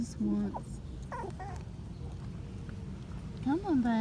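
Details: Five-week-old Patterdale Terrier puppies exploring an earth tunnel built from black PVC pipe: brief whimpers early on, then a rising-and-falling whine near the end, with soft human voices in the background.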